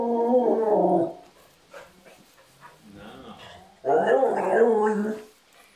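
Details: Lilac border collie talking to its owners at home: two drawn-out, wavering, moaning vocal phrases, each about a second and a half long, separated by a quieter pause with faint rustling.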